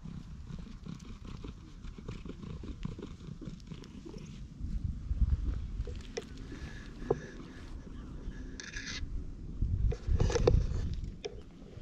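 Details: Stray cat in a park, being patted and stroked, recorded on a GoPro HERO8 with a media module: a low, steady rumbling purr runs beneath rustling handling noise, with a few brief sharp clicks and a louder scuffle near the end.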